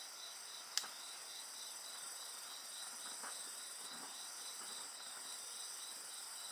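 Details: Insects singing beside a crackling bonfire: several steady high shrill bands overlap with a pulsed chirping line repeating about three to four times a second, plus one sharp fire snap near the start.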